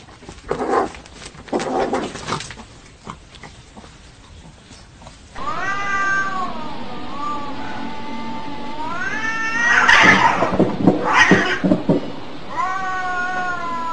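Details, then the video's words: Fighting domestic cats: scuffling noises at first, then sustained wavering yowls that rise and fall, with harsh screeching bursts in between. "Cat Fights!!!"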